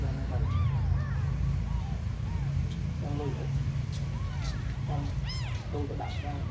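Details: Abandoned kittens giving thin, high mews that rise and fall in short arcs, scattered through the clip over a steady low rumble of background noise.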